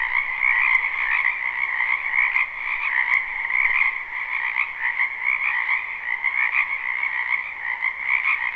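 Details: Many frogs calling together from a wetland in spring, a live unlooped recording: an unbroken wall of rapid trilling croaks, steady throughout with faint pulsing and occasional brief clicks above.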